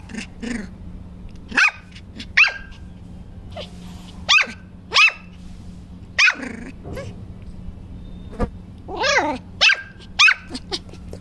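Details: Puppy in an aggressive mood gives sharp, high barks repeated roughly every second, about a dozen in all, some doubled, with a steady low hum beneath and faint clicks between.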